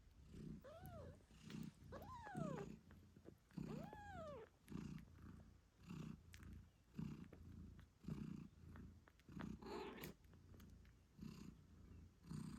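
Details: British Shorthair mother cat named Moon Stone purring loudly while nursing her 8-day-old kittens; rhythmic low purr pulses about every second, with several rising-falling kitten meows near the start and a squeak later.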